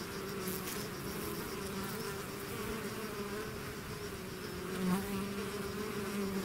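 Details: Honeybee swarm out of its hive, a dense continuous buzz of many bees with steady humming bands and individual wingbeats rising briefly above the drone near the end.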